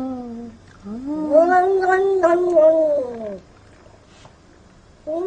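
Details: Jealous domestic cat yowling: a brief wail, then a longer rising-and-falling moan lasting over two seconds, ending with the start of another call, in a quiet room.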